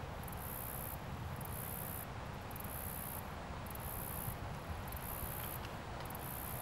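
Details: Cricket perched on a leaf in its natural environment, filmed up close: very high, shrill trilled chirp bursts about half a second long, repeated roughly every second, six bursts over a steady low background rumble.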